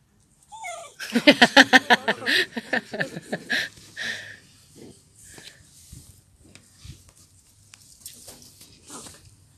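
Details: Dachshund indoors in a small room, giving a rapid burst of high, harmonic yips, about three per second for roughly two seconds, then softer scattered whimpers and snuffles; a woman speaks softly nearby.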